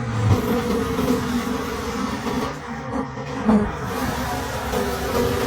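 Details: Wild bees swarm around a broken forest hive while honey is taken late in the season. Their continuous low hum swells and fades, with a few thuds from the work.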